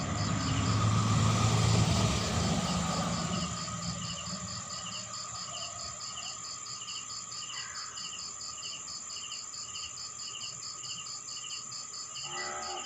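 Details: Nighttime crickets in a rural town in the Philippines, rapid regular pulsed chirps running throughout beneath a continuous high insect drone, while a passing vehicle rumbles loudly in the first few seconds before fading.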